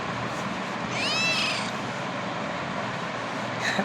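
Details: A single high, rising-then-falling meow from a domestic cat, about half a second long, heard over a constant broadband hiss.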